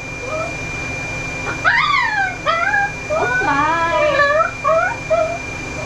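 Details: Ollie, a very vocal dog getting groomed by a mobile pet groomer in Oklahoma, USA, gives sharp yips and then longer whining, howl-like notes that rise and dip, ending in short falling whimpers over a constant hum.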